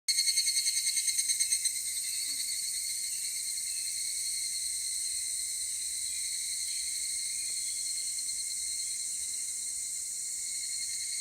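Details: Higurashi cicadas at 16:14 on Monday, 23 July 2018, in Takahashi, Japan. A shrill, rapidly pulsed phrase opens, then gives way to a steady, high, ringing chorus that holds throughout with no other clear sounds.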